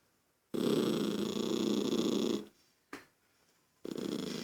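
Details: Toy poodle named Lucky, irritated by a child making noise, gives one long rough pulsing growl of about two seconds, then a short sound and a fresh growl starting at the end; quiet room otherwise.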